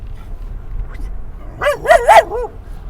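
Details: Dog barking at other dogs from a car on the way to a San Diego dog park at sunset: four quick, rising-falling harmonic barks bunched near the end, over low engine rumble.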